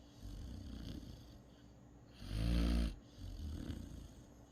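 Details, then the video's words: Great Dane puppy asleep and snoring: one loud rasping snore swelling for about half a second, flanked by softer breathing snores before and after, low and rumbling. "snoring Great Dane pup"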